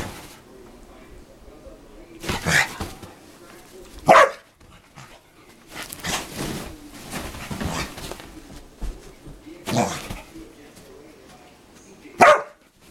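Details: Playing dogs making funny noises: short sharp barks and yelps at irregular intervals, separated by stretches of quieter growly scuffling and panting, with some speech mixed in.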